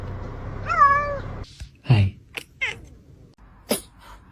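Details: Pet cat inside a home making one strong meow that rises, holds, then bends slightly down over half a second, followed by soft clicks, a brief squeak and faint room noise.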